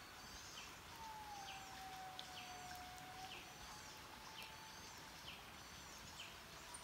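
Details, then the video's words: In Mantadia-Andasibe National Park, where indri calls carry for miles, a single drawn-out wail glides slowly downward then holds level. Repeated high chirps and steady background hiss continue throughout. "Song of the Indri"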